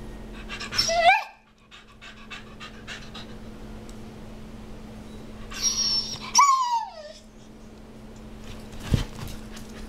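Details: Olly, a pet dog known as a talking dog, gives two short whining vocal bursts that slide downward in pitch, one near the start and one past the middle, with soft panting, breathing and a steady low hum between them.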